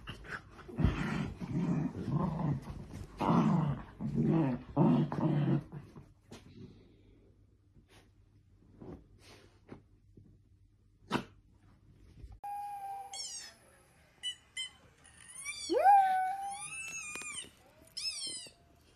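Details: Pet Dachshund growling in rough, pulsing bursts for about six seconds, then quiet. Later come high, squeaky, sweeping tones in short repeated runs.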